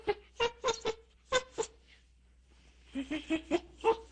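A monkey gives short, harsh, barking calls in quick bursts, pausing briefly between two runs.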